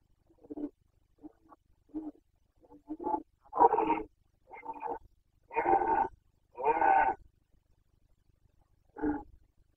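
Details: Carpathian stag roaring in the 2021 rut in Bucovina (boncănit): a run of short, quiet grunting calls builds into several long, loud, rich roars, then ends with one shorter call after a pause.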